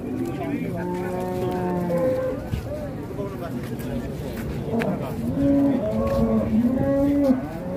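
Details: Agitated raging cattle lowing in long, steady, deep moos, one held for about two seconds, then another rising and falling run of moos, with people talking over them.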